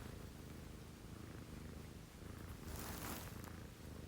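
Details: Steady low rumbling purr from a pet cat at 6 a.m. in a home with a female Scottish Fold and a female Munchkin, a continuous soft drone with a brief brighter rustle near the end.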